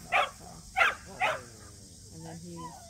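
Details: At a local match show, a Samoyed entered for the first time gives three loud, clipped barks about half a second apart, then falls quiet while voices carry on in the background.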